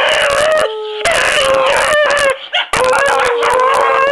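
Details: Beagle-bluetick hound howling on command indoors, a sustained tonal howl with rich harmonics that wavers slightly in pitch, broken by short gaps and a brief yip, with background music playing throughout.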